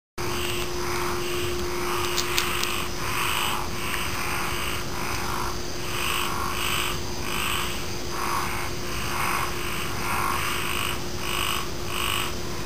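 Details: Frogs croaking in a steady chorus, with short harsh notes repeating about twice a second. A continuous low hum runs underneath and a few brief high clicks sound early on.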